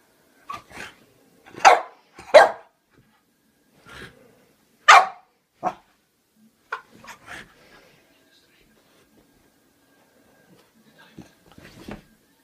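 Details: Pluto the French Bulldog barking while scared of a toy clown he seems to think is alive; short sharp barks come in uneven bursts separated by quiet gaps, with a few softer sounds near the end.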